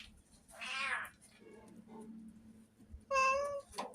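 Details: Abandoned cats at a shelter where food supplies are running low. Two clear meows: a rising, strained cry, then a shorter, strongly tonal meow three seconds later, with a faint hum in between.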